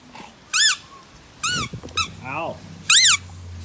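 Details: Dogue de Bordeaux puppy, eight months old, gives short high arched whines, three clear rising-falling squeals spaced about a second apart, plus one softer descending whimper, indoors with a low steady hum behind.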